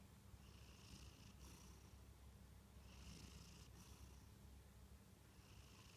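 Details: Sleeping Munchkin cat named Kantarou gives quiet snores, soft breathy hisses at about one-and-a-half to two-second intervals above a faint deep rumbling drone.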